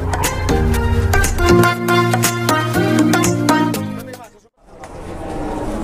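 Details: No animal sound: lively rhythmic band music with a steady beat, dropping to near silence around four and a half seconds before a low murmur returns.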